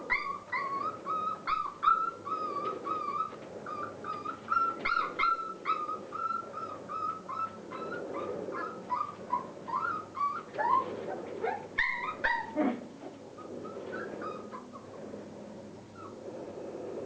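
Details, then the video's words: Border Collie puppies, Clair's 36-day-old litter at Mafalda's kennel, playing; rapid high whimpers and yips in quick bursts, with sharper yelps and a few low barks midway, over a steady background hum. "Border Collie Mafalda's - Cachorros de Clair-36 dias jugando."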